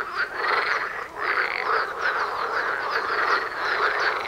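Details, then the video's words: Short stretch of a frog concert outside a front door during mating: loud overlapping quacking croaks repeated rapidly, one short dip in the chorus before it surges back. "Froschkonzert vor der Haustüre"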